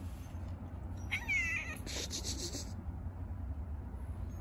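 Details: After a feeding, a street-living stray cat at play utters a short, high, falling meow, followed by brief tonal noise and a constant low rumble of background traffic.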